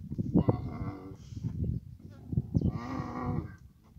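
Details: Camel met during the mating season in Abu Dhabi, uttering two drawn-out, low groaning calls, with human voices and scuffling in between.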